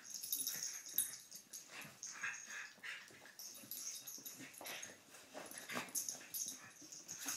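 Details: Poppie and Nellie, a pair of dogs, playing together: a stream of quick wheezing snorts and soft scuffles, uneven in timing, with occasional sharper huffs and a steady faint high hiss behind.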